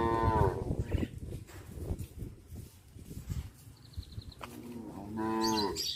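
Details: {'caption': 'Cows on a village farm walking back to the barn in the afternoon; a deep harmonic moo opens, then hoof and shuffling noise, and a second rich moo rises near the end.'}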